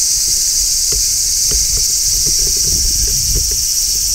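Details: Large brown cicada singing in midsummer, recorded on location: a steady, dense, shrill hiss holding level without pauses, with faint low taps and rumble underneath.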